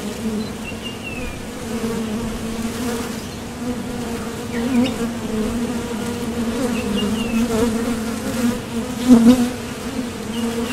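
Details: Honeybees buzzing at the entrance of a Top Bar Hive as foragers leave for and return from the field seeking nectar; a steady low hum with a strong overtone above it, individual bees swelling louder as they pass close, faint bird chirps.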